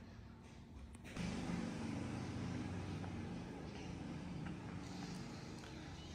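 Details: Outdoor rumble of passing vehicles swells after the first second and stays steady, with faint distant voices and no animal calls.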